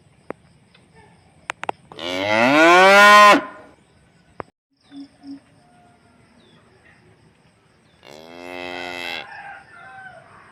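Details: On a calm, quiet morning on a rural farm, a cow gives a loud, drawn-out moo, then a second, fainter moo after a quiet gap.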